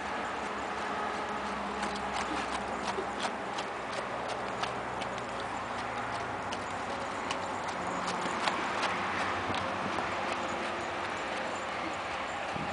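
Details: An Arabian horse moving through a figure eight, its hooves giving a repeated knocking clip-clop at a fairly even pace, some strikes sharper than others, over a quiet hum.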